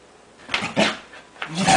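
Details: Playful Scottish Terrier indoors, urged to get its tail, making rough throaty growl-like bursts in two quick surges with a louder one at the end.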